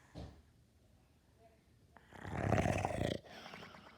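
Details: Snoring dog in a small room: a brief soft snort, then a quiet pause, then one loud, harsh, rumbling snore lasting about a second before fading into soft breathing.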